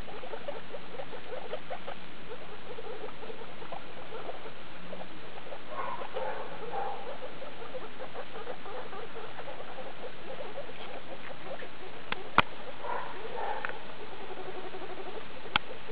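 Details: Skinny guinea pig Daisy with her babies of litter E2, born 2 August 2012, recorded 19 August 2012 at CHS Luna: chattering runs of short squeaks in uneven bursts, broken by a few sharp clicks.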